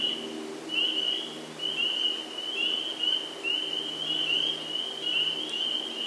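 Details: A spring peeper chorus at a vernal pool in Sudbury, Massachusetts, on 11 April 2019: many high, rising peeps overlap into a steady shrill ring.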